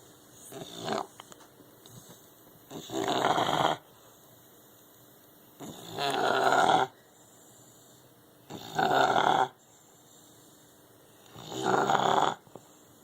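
An English bulldog snores heavily, each breath a harsh, rattling rasp lasting about a second. The snores come in a steady rhythm roughly every three seconds, with quiet pauses between them.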